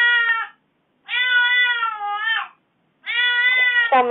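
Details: Domestic cat calling in an aggrieved, complaining way after its owner was away from home for four days; three long, drawn-out harmonic meows, each steady and slightly falling at the end, separated by short silences, indoors.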